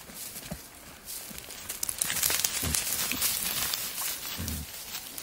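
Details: Wild boar in the wild, a male courting a female: short, deep grunts come in scattered bursts about once a second, partly buried under steady rustling and footstep-like crunching in the undergrowth.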